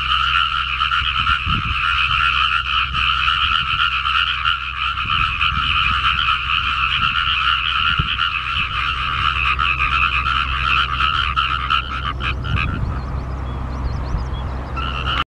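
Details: After water fills a rice paddy, a dense frog chorus of rapid, overlapping croaks forms a steady, buzzing wall of sound.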